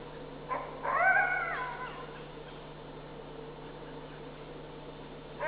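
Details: Red wolf father and pup, about five and a half months old, spending quiet time together in captivity in South Salem, New York, in September 2010; a short soft yip, then a single harmonic whine lasting about a second, background hum throughout.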